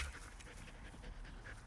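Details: Border Collie in a backyard where three Border Collies are together, panting in quick, steady, breathy pulses throughout, with a low background rumble.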